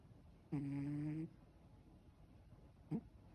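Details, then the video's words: Relaxed Ragdoll cat snoring: one steady low harmonic snore lasting under a second, followed by a brief short breath, in a quiet indoor room. "Cat snores when relaxed"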